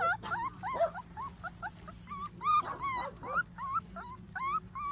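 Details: Border Collie puppies whimpering and yelping, a run of high, wavering whines with rising and falling pitch, several overlapping, in quick irregular succession; faint background hum.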